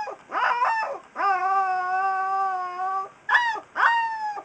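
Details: Alaskan Malamute puppy, three weeks old, singing: bending yelps lead into a long, steady howl lasting nearly two seconds, followed by two more short rising-and-falling yelps.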